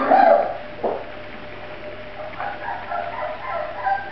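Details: Grand Basset Griffon Vendéen puppies from the van de Viersenhoeve litter give a short, strained whine at the start, then a brief yelp. Several softer overlapping whimpers follow toward the end, over a low background hum.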